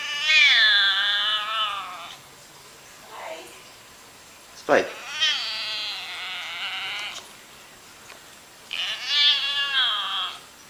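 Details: Domestic cat giving weird, long wavering yowls, three drawn-out wailing calls each about two seconds long with a wobbling pitch, separated by pauses, with a brief sharp knock between the first two.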